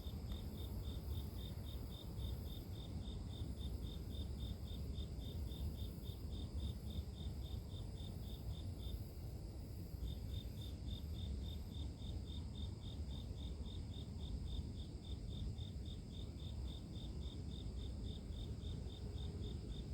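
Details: Grass insects heard as soothing nature white noise: regular high, thin chirp pulses repeat steadily, stop for about a second near the middle, then resume at the same pace, all over a deep, constant rumble.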